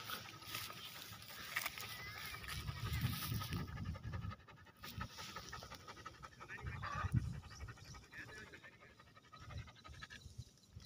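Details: Greyhound, a racing dog, outdoors in a village field, panting in quick, breathy, irregular bursts that swell loudest around the third and seventh seconds. Faint high bird chirps and open-air background sound run underneath.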